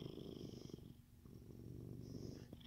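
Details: Low, rapid machine-like purring from a contented male Siamese cat, loud at first, softening in the middle, then swelling again, with a short click at the very end.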